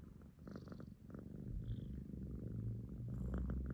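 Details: Rescued pet cat being affectionate: a close, low, continuous purr that swells slightly louder over a few seconds, with a faint rustle.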